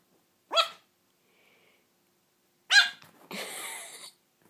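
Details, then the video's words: Three-month-old toy Yorkshire Terrier puppy barking for the first time; two short high-pitched yappy barks about two seconds apart, the second followed by a person's softly spoken praise. "Yorkie pup barks for 1st time"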